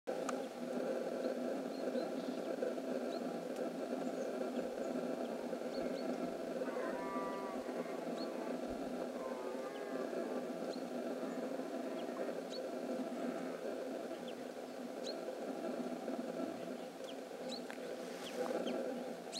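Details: Red deer (Cervus elaphus) recorded 27 September 2015 gives deep, drawn-out, moaning bellows that run almost without a break.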